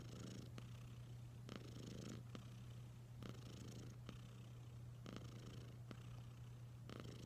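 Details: Steady low-pitched purring from the house cat Wylla Stout, an unbroken rumble with light clicking noises dotted through it.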